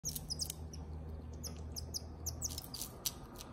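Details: A pet female marmoset calling while she eats: short, high-pitched chirps that slide downward, given in quick clusters, mixed with crisp clicking chewing noises over a low, steady hum.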